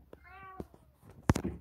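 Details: Street cat giving a single clear, drawn-out meow with even harmonics lasting about half a second, followed by soft thumps and a loud close knock near the end, in a quiet setting.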